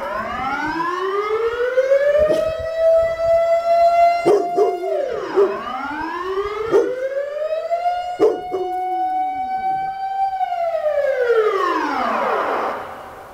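Drawn-out, rich-toned howls swell upward, hold, then slide back down, each lasting several seconds. Brief sharp yelps or barks punctuate the gaps between the wailing notes.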